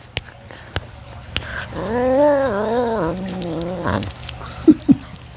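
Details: A captive serval eating, recorded close with a microphone on the feeding tongs, gives a wavering, moaning groan-like growl lasting about two seconds, with sharp clicks and snaps around it.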